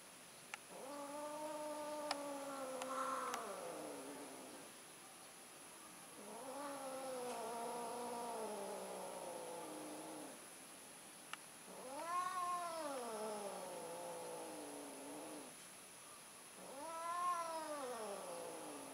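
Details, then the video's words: Cat during mating, an orange tomcat trying again: long, drawn-out yowling caterwauls, each several seconds, some flat and moaning, others arching up then falling, roughly every five seconds over a steady high hiss. "Kucing Kawin, Kucing Orange Nyoba Kawen Lagi Nih"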